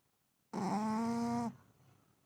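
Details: Shih Tzu snoring indoors: a single steady, tonal, harmonic-rich snore about one second long, with an even pitch throughout, then quiet room noise.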